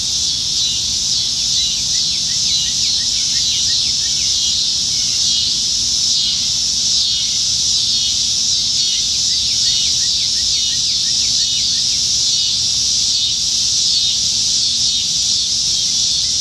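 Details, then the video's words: Dense cicada chorus in Nebraska treetops on a summertime evening, July 2019, when cicadas are everywhere. A loud, steady, sizzling high-pitched drone with faint rippling texture and softer chirps beneath. "Summertime Evenings in Nebraska - Cicadas"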